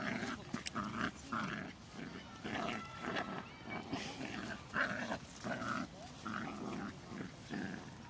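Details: Jack Russell Terriers Loki and Singa playing; six-month-old Loki grips a toy and will not let go. Low, rough growls come in repeated bursts about every half second to second, with faint human voices between them.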